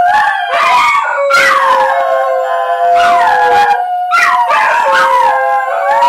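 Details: Three pet Basenjis howl together in long, wavering, overlapping tones that slide down and rise again; they usually start when a plane flies over or when people howl at them. Finding: Basenji.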